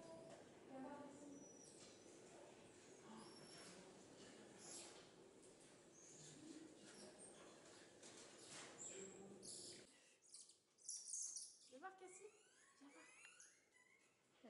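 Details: Cotton-top tamarins (Saguinus oedipus), a vulnerable Colombian primate, give high, thin chirps and quick twittering cries over people's chatter at Peaugres Safari park, Ardèche, France.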